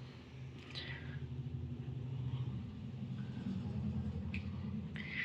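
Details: Low, steady vehicle rumble from a passing car, with a few brief high squeaks and no animal voice.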